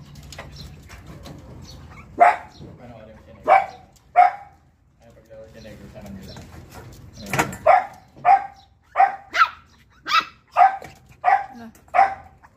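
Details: Pomeranian dog barking downstairs: sharp, high yaps, first in a spaced trio, then a quicker run of about eight barks roughly every half second, with faint talking early on.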